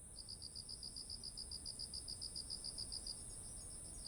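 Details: Insect voices of autumn by heavy-eared ripe rice: rapid, evenly spaced high chirps run for most of the stretch against a constant piercing buzz, low background hum.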